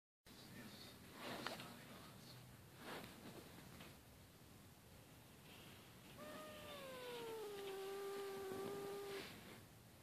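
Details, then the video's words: Cat snoring and then getting angry: soft, low, breathy snores about every one and a half seconds, then a drawn-out tonal growling moan that holds steady for about three seconds, recorded indoors with background hiss. "From snoring to angry, a cat story"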